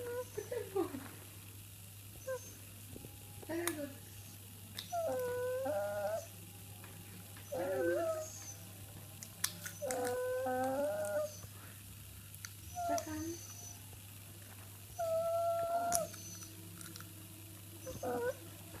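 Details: A pet dog makes strange noises indoors: wavering, tonal whines and squeaky yelps, some rising and bending in pitch. They come in short bouts every two to three seconds over a steady low hum.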